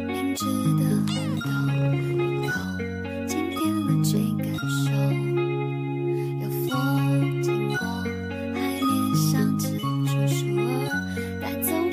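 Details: Upbeat instrumental music with a steady bass line and tinkling bell-like notes plays throughout.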